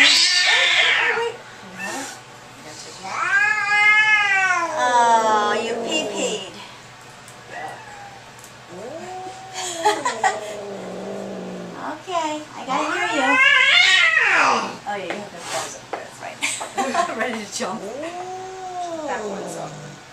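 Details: Cat angry and freaking out during a veterinary visit: a string of long, wavering yowls and growling moans, some sliding low, repeated with short pauses, while people talk nearby.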